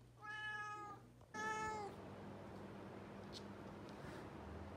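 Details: Indoor pet cat at evening mealtime with an automatic feeder. Two clear, tonal meows come in quick succession, the second slightly longer and falling at its end. Quiet room hum follows.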